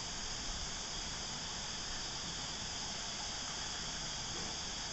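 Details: Cicadas at Christmas time give a steady, unbroken high-pitched buzzing drone that holds at the same pitch throughout.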